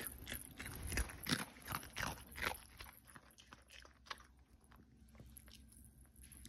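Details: Pomeranian eating a cookie, close crunchy chewing in quick irregular bites, loudest during the first three seconds and then softer, with a steady faint hiss behind.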